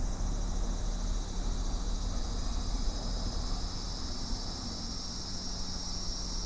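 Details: Cicada song: a steady, high shimmering drone in layered bands that holds unbroken throughout, partly buried under heavy low rumble and a constant electrical-sounding hum.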